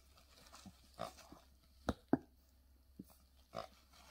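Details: English Bulldog puppy Hercules, recorded November 9, 2020, giving short snorting grunts and huffs at irregular intervals, about six bursts in four seconds, two louder ones close together near the middle, over a quiet background.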